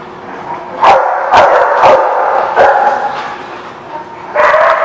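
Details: Loud, rough dog barks coming irregularly, roughly two per second, some run together into longer yelping bursts, ending with a strong, sustained bark over a steady background hum.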